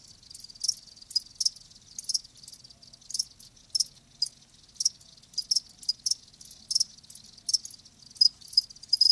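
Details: Crickets chirping live: sharp high-pitched pulses, sometimes in quick pairs or clusters, with brief gaps between bursts; nothing else audible.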